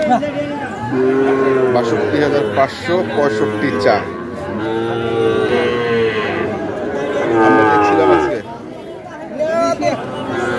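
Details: Repeated lowing from Sahiwal bulls and calves at Ambari market, Dinajpur, 18 September 2023. Several rich, drawn-out moos rise and fall in pitch, each lasting one to two seconds, against the background murmur of a busy crowd.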